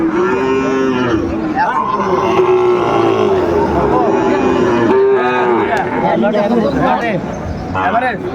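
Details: At a Comilla livestock market on 6 July 2024, a Sahiwal bull calf gives long, level moos, one after another with short breaks, while other cattle call faintly and people talk in the background.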